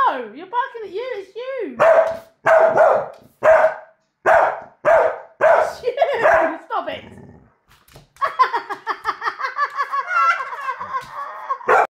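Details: Staffordshire Bull Terrier reacting to a recording of his own barking: a human voice opens, then a run of sharp single barks about every half second, ending in a rapid string of yelping, overlapping barks.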